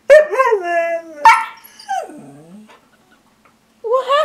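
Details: Pet Siberian Husky teased with treats, producing drawn-out, wavering howl-talk calls with strong harmonics, a falling groan, then a pause before another rising vocal burst; a person's voice is faintly present.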